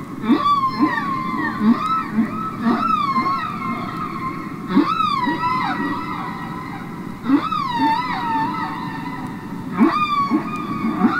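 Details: Underwater humpback whale song from Capitol Records ST-620, real whales singing and communicating: repeated arching whoops that rise and droop, layered over lingering tonal wails and short low grunting pulses, in a constant watery hiss.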